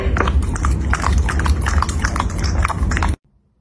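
A Pembroke Welsh Corgi eating, with quick, irregular crunching and chewing and a heavy low thud under each bite.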